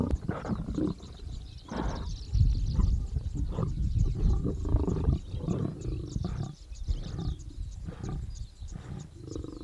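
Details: At Namiri Plains in Tanzania's Serengeti, an older male lion and two brothers squabble while sharing a kill, giving low, rough growls in irregular surging bursts with brief pauses between them.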